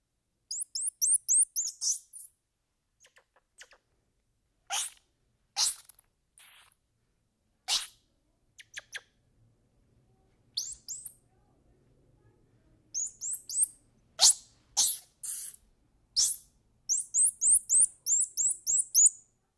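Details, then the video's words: Rapid strings of high twittering peeps from a squirrel monkey, opening and closing with fast repeated chirps, broken in the middle by sharp clicks and faint low rustling. "Squirrel Monkey Sound"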